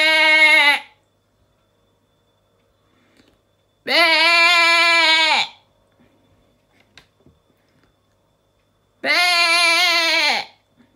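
A sheep gives three long, wavering, nasal bleats with quiet pauses between them.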